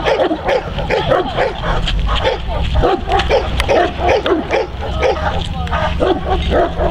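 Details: Neapolitan Mastiff working as a guard dog, protecting his owner from multiple agitators: rapid, continuous, forceful barking, roughly three barks a second for the whole stretch, with human voices faintly mixed in.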